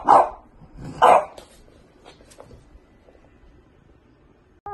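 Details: A French bulldog puppy lets out two quick, loud barks about a second apart, then goes quiet apart from faint background rustling.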